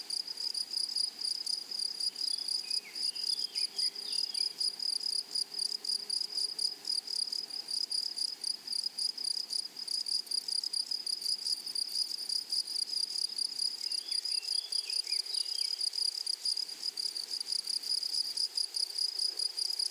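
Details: Grasshoppers singing in a flowery meadow: a constant high, pulsing buzz lasting the whole stretch, with two brief faint bird chirp sequences and a low soft hum in the background.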